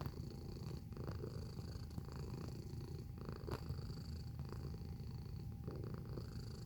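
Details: Close-up of a domestic cat purring. A deep, unbroken rumble pulses quickly and evenly for the whole stretch. A thin steady tone sits behind it, with one brief click near the middle.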